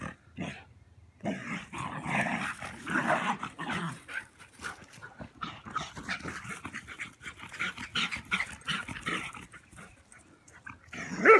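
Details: German Pinscher growling while playing outdoors with a Rat Terrier; rough, sustained growls and grumbles run almost continuously, broken by short gaps, with scuffling sounds of play.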